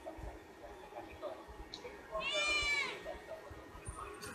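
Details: Pet cat uttering a single clear meow lasting under a second, arched in pitch and strongly harmonic, set against quiet room noise with faint scattered clicks and murmurs before and after.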